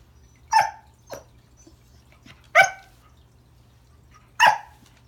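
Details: Remington, a Pembroke Welsh Corgi, greets a new toy under the Christmas tree with sharp indoor barks, three loud ones and a softer one spaced about a second or two apart, over a low steady hum.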